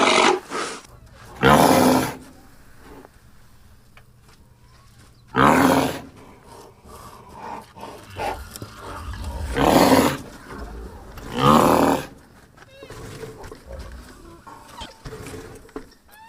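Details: Rhinoceros giving four loud, harsh, broadband snorting blasts, each about a second long and spaced several seconds apart, with quieter rumbling between them and faint bird chirps near the end.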